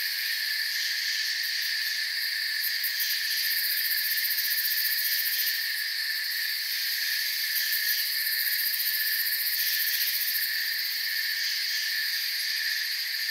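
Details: A massed cricket chorus in forest ambience: continuous high-pitched shrilling stacked in parallel bands, with faint pulsing flickers at the very top and a uniform, unchanging level.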